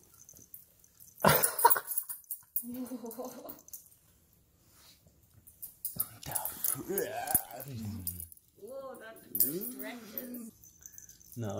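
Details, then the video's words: Krypto, a jealous male husky, meeting a female visitor indoors and sniffing her, gives short wavering, rising-and-falling whines and yowls in several bursts, mixed with a person talking to him. "Introducing My Girl Friend To My Jealous Husky"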